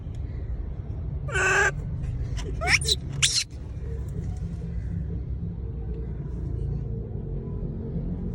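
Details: A monkey calling to people gives a brief, rough call, then quick sweeping squeals sliding up and down in pitch, over a constant low rumble like distant traffic or machinery.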